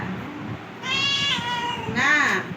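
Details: Cat during its rabies and flu vaccination gives two meows: a long, drawn-out one that falls slightly in pitch, then a shorter, rising-then-falling meow, over a background of low room noise.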